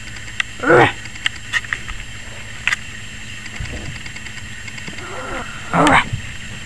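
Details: Yorkshire Terrier puppy, 21 weeks old, barking and apparently scared of the camera: two sharp, harmonic yaps roughly five seconds apart, with quieter faint sounds between them and a steady background hum.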